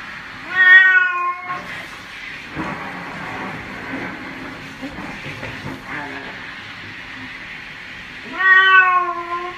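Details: Pet cat meowing during a bath: one meow early, a long noisy gap with faint speech-like sounds and rustling, then another long, wavering meow near the end.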